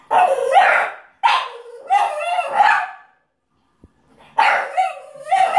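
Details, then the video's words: French Bulldog indoors, crying loudly at the film Beethoven playing on TV: close, strained yowling wails in three rapid bursts that waver up and down, a short pause, then two more rising cries. "French bulldog crying to beethoven the movie"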